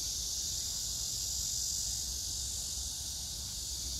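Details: Summer cicada chorus at Hwarang Park in Choji-dong, Danwon-gu, Gyeonggi-do, by the Gyeonggi Museum of Art, recorded 9 August 2024 with crape myrtles in pink bloom; a dense, even, shrill buzz holding constant throughout, with soft low background noise.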